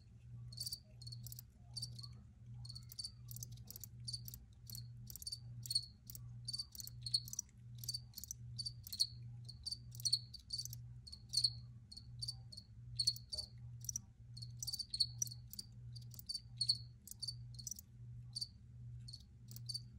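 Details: Several crickets chirping densely, overlapping bright high pulses in rapid clusters, above a soft pulsing low hum.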